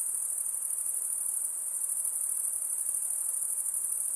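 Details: Insect sound: a steady, very high-pitched shrill trill that runs unbroken with a fine pulsing texture and no pauses. A faint soft hiss lies underneath.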